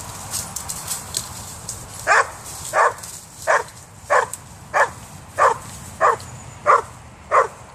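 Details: A female Hungarian Vizsla–Weimaraner mix dog gives a steady run of sharp, loud barks, about one every two-thirds of a second, after spotting a cat in a tree and straining frantically to get to it.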